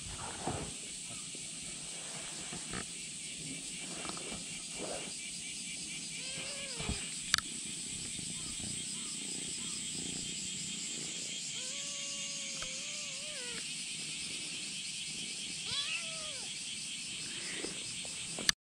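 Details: Kitten clinging to a bag, insistent on getting what is inside, giving three drawn-out arched meows spread across the stretch, one a longer wavering cry, over a steady loud insect buzz with scattered rustles and clicks.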